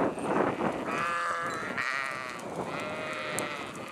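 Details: Flock of sheep bleating, several overlapping wavering, nasal bleats of varied pitch running almost continuously, with lower and higher voices calling over one another.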